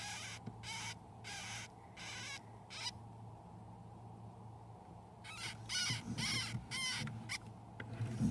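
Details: Pet hamster pups one week after birth, eleven nursing from their mother, give short scratchy squeaks in clusters, then fall quiet for a couple of seconds before a louder, denser run of cries, with low rustling and hum.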